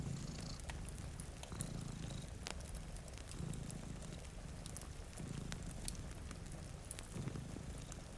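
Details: Two cats doze in front of a rain-streaked window, one giving a deep, continuous purr that pulses with each breath roughly every two seconds, while a crackling fire and falling rain add sharp ticks and hiss.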